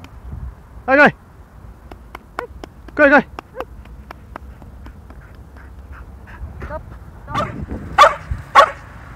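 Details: Leo, a yellow male field-type Labrador Retriever aged one and a half, barking during a training practice session; sharp, harmonic-rich barks come singly, then a quick cluster of three near the end, between soft clicks and low background hum.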